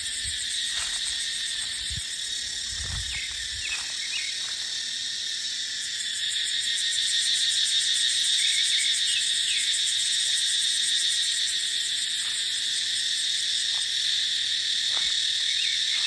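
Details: Cicada chorus in dry dipterocarp forest during the dry season: a loud, even, high buzz that swells slightly louder halfway through, with occasional faint chirps and some low wind rumble early on.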